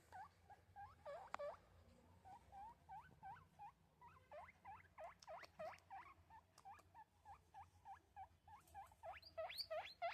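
A guinea pig calls in a rapid run of short, upward-sweeping squeaks, each hooking sharply higher in pitch. The squeaks come about three per second and grow louder and shriller toward the end.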